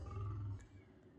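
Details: Mating pair of lions in a bush camp in Southern Africa in the morning, the lioness lying by the wall: a short, deep, low rumbling growl lasting about half a second, then fading into quiet background.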